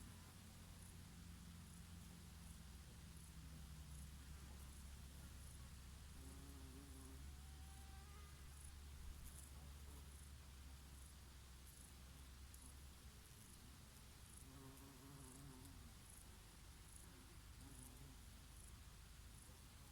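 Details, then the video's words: Bees working oregano flowers in summer produce a deep steady drone, a strong low hum for the first thirteen seconds, then softer passing buzzes with rising and falling tones over a light breeze. "Peaceful sound of the summer breeze and of the Bees and here and there a bumblebee"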